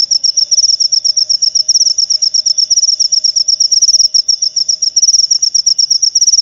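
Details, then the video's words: Cricket sound used to drive rats away from pet birds at home and to lure lovebirds: high, steady chirping pulsed in rapid regular bursts, continuous throughout, no other sounds. "Suara Jangkrik Pengusir Tikus"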